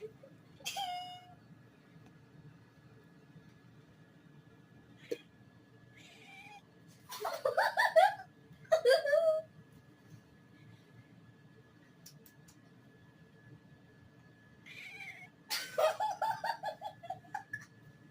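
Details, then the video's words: Kitten producing cute noises: an early short mew, then bursts of squeaky chirping cries around the middle and again near the end, separated by quiet stretches with a faint steady hum. "Kitten makes A cute noise"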